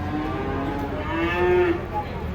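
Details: Giant cattle unloaded from a truck while small children watch nearby. A short moo starts steady, swells louder in the middle and then breaks off.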